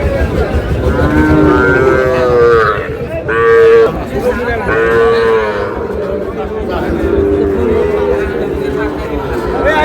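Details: Sahiwal bull calves at a cattle market in Noakhali, Bangladesh, on 24 February; long, steady lowing moos rise clearly around two to four seconds and again near five seconds, over busy crowd chatter and nearby voices.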